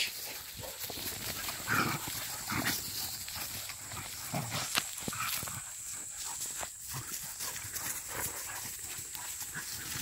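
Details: A hunting dog, a young dog trained for agility in wild boar hunting, gives short, harsh barks in uneven bursts, some close together, others a second or two apart, over a steady outdoor hiss; a man's voice is briefly heard.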